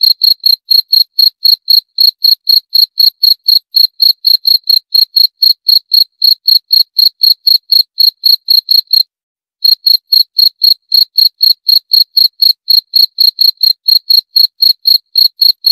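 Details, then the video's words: Rapid, high, ringing chirps from a cricket, roughly four each second, broken by one short silence midway and then continuing at the same pace against silence. "26 Menit Suara Jangkrik - 26 Minutes Cricket Sound Effect"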